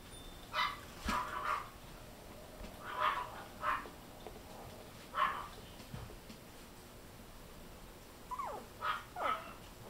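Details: Silver toy poodle puppy, a fluffy baby toddling about, giving short soft yapping barks in small clusters, around eight yips spread over ten seconds with quiet gaps between, in a calm indoor setting.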